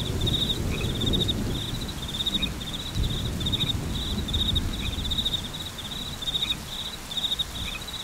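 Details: Crickets trill in fast, bright, high-pitched pulses in short groups, steady over a background of rain and faint distant thunder.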